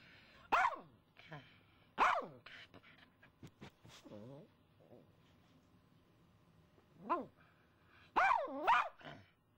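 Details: A female pet dog going wild at a squirrel in the front yard, letting out sharp, loud single barks in pairs, with a soft wavering whine between them and quiet indoor background.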